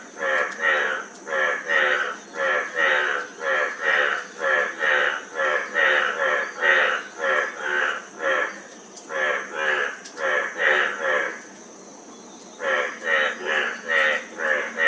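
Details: Frog calling in a fast, even series of raspy pulsed croaks, roughly two per second, with one brief pause near the end before the rattling resumes; constant thin high hiss behind.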